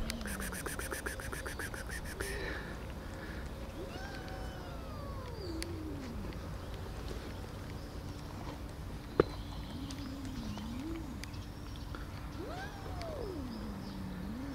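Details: Angry tortoiseshell cat giving drawn-out, wavering yowls that rise and fall, several separate calls spread across the recording, after a burst of rapid clicking at the start and one sharp knock midway.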